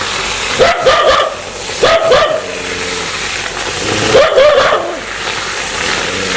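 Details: Angry dog that wants to bite people gives three clusters of loud, rough barks about every two seconds, separated by a low rumbling growl.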